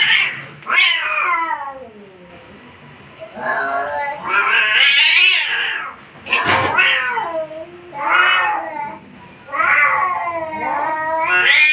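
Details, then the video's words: Cats fighting in an angry mood: a series of moaning, wavering yowls that bend downward and swell again, separated by short quieter gaps, with a few sharp broadband bursts like hisses or spits between the cries. "Cat fighting seen | Angry cat"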